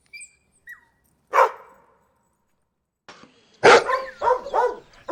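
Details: Dog gives one bark, then after a pause a louder burst of several rough barks; faint high whistles, probably birds, at the start.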